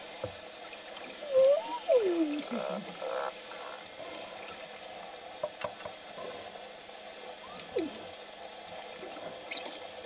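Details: Male dolphins, Gulliver, Fye and two other males, interacting at Dolphin Encounters research center; a few rising and falling whistles sweep near the start, with a later faint downward whistle, over low water noise and clicks.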